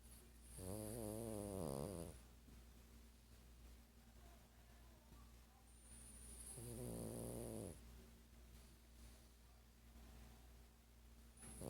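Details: Twelve-year-old Sparky, an old dog dozing and dreaming, gives two long rattling snores about five seconds apart, each a buzzy, wavering breath of roughly one and a half seconds, over quiet room hum.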